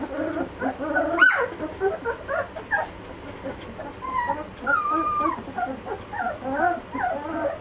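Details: Litter of Malinois puppies aged two and a half weeks giving thin, sliding whines and squeaky yips, some rising then falling, several pups overlapping almost continuously, with a sharp louder squeal near the start.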